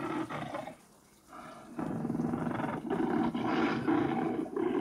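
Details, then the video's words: Tiger roar played back at night from a fixed wildlife deterrent on an apple farm in Geochang, South Gyeongsang, South Korea, meant to drive off water deer and wild boar; harsh, broadband roaring bursts repeat rapidly, broken by a short quiet gap. "호랑이 소리가납니다"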